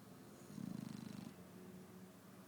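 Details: Shar Pei dog snoring in the morning: a soft, low, rasping snore of rapid fluttering pulses lasting under a second, set against steady quiet background hiss.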